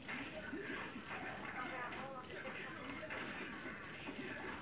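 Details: Cricket caught in a rice field, a jeliteng or Javanese cricket known for its loud voice, giving shrill high chirps in a steady rhythm of about three per second, each chirp a short buzzy pulse train, with faint low background noise.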